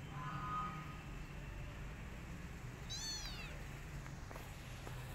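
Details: Rescued kitten, lonely and needing its mother, gives one high, thin meow that slides downward in layered harmonics. A faint, steady tone comes earlier, and soft taps follow over a low background rumble.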